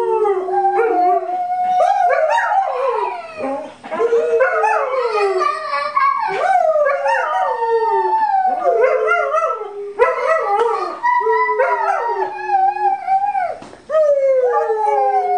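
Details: Pet dog Libbie joins in Happy Birthday for a three-year-old, giving a continuous run of bending, yodelling howls that rise and fall, with sharper yips and voices singing alongside in a small room.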